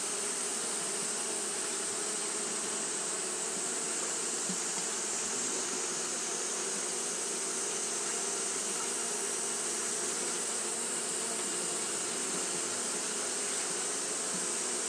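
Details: Japanese honey bees fanning continuously on a hot day: a steady, unbroken buzzing drone with low humming bands and a constant bright hiss layered above, holding level for the whole stretch.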